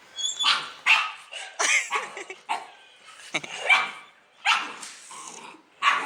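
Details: Pet dog responding to a played sound effect of dog barking: sharp, harsh barks come singly and in short bursts at irregular gaps, loud and bright, with quieter stretches between.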